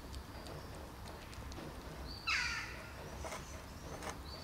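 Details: A greedy black kitten shares food with two other hungry kittens; one sharp, descending mew with stacked harmonics stands out midway, surrounded by faint ticking and hiss.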